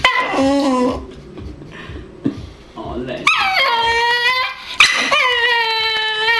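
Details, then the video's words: Staffordshire Bull Terrier making strange noises: long, wavering, whining howls with rich, stacked tones that bend up and down, alongside a person's voice. "making strange noises"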